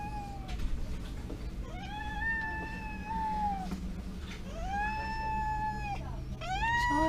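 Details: Panda, a male pet cat, meows on the day of his neutering operation at a vet clinic, scared and a bit nervous: four long drawn-out meows, each arching up then falling, over a steady low hum.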